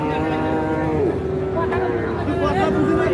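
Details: Cattle at the Ambari cattle market in Parbatipur, Dinajpur, Bangladesh, on 29 December 2023, where calves were being bought. A long low moo holds steady, drawn-out tones, with a murmur of market crowd noise behind it.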